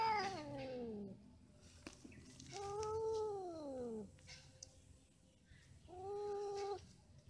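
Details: Quarrelling, mating cats give three separate moaning wails. Each arches slightly up, then sags lower, and they are separated by pauses of a second or more with faint rustling.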